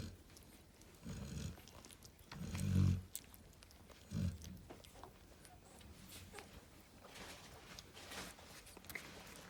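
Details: Narla, a female Cane Corso lying with her babies, gives three deep, gravelly snores about one and a half seconds apart, the middle one loudest, followed by several seconds of quiet room noise and soft rustles.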